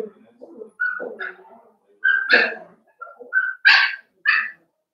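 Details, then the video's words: Cavalier King Charles Spaniel puppies playing together in an indoor puppy pen, giving short high whines and sharp yappy barks in uneven bursts, with small thuds between calls. "Cavalier Puppies Live: Puppies Playing"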